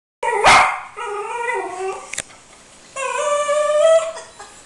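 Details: Cocker spaniel indoors, barking at a pet bird and trying to reach it: one sharp, loud bark, then drawn-out, wavering whining tones that rise and fall, with a brief click midway.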